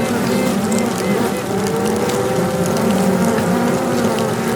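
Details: Queen honey bees piping inside a box, signalling their location to rival queens so they can find each other and fight, recorded close up; a steady, slightly rising tone over a dense, continuous hive buzz.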